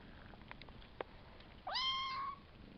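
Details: Five-week-old Savannah kitten from a litter of three males and two females lets out one clear meow, a rising then level tone lasting under a second after soft clicks and taps.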